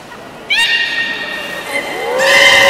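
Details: Beluga vocalizing in a public training session at Port of Nagoya Public Aquarium, 18 July 2016, 13:30: a sudden high harmonic squeal holding steady, a lower sliding tone, then a loud noisy buzzing call.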